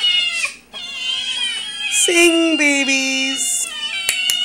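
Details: Domestic cat family, father, mother and kittens, 'singing' indoors: long, loud, harmonic meows overlapping and wavering, one dropping into a low drawn-out yowl midway, with a faint hum beneath.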